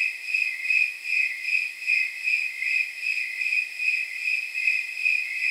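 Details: Snowy tree crickets on a warm night estimated at around 79 degrees give steady, bell-like chirps, about two and a half per second. The high, pure pulses repeat evenly over a faint hiss, with no other sounds.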